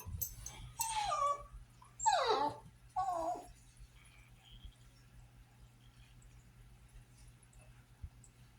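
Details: A French Bulldog gives a run of drawn-out, wavering whines and yowls in protest, wanting to go outside while kept indoors as the kids play outside, after he kept slipping through the fence to chase the neighbour's horses.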